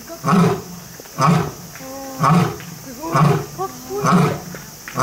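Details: Roaring lion or tiger in Kyoto City Zoo, Japan: five short, deep, grunting roars about a second apart, with faint higher whines and squeaks between them.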